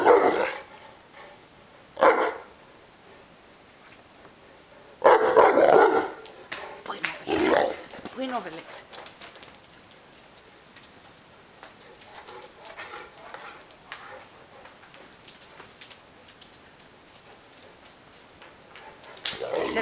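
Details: Neapolitan Mastiff that complains and wants to play gives deep, loud barks and grumbles, isolated at first and then a cluster around the middle, followed by quieter rustling and a final outburst.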